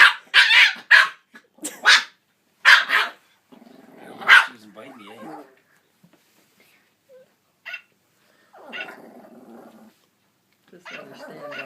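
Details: Puppy barking at a singing Santa toy dog playing Jingle Bells: several sharp, high yaps in quick bursts, then wavering whines and a woman's excited voice.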